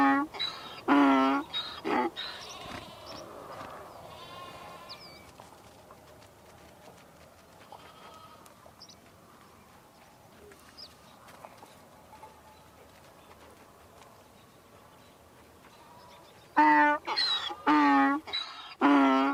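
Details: Donkey brays in two loud bouts, harsh rasping see-saw notes at the start and again at the end, with a long quiet stretch of faint chirps and background hiss between them.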